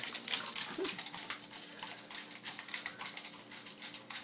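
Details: Pug named Buckles eating fast until nothing is left: rapid crisp clicks and smacking chomps in quick bursts, with a brief low whine-like note near the start.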